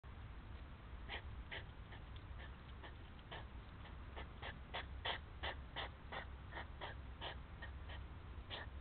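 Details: Hedgehogs quarrelling near feeding spots, as they do over food or females: a rapid run of short, broadband puffing snorts, irregularly spaced at nearly three per second, over steady low rumbling background noise.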